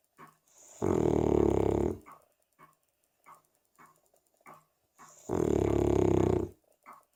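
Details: A 3-year-old Cavalier King Charles Spaniel snores in long, rasping, harmonic breaths separated by soft snuffles.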